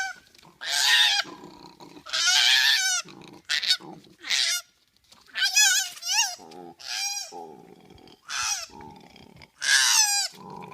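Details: Koala making a rapid string of harsh, high-pitched squeals and short wavering cries mixed with lower grunting breaths, the calls coming in quick irregular bursts over about ten seconds.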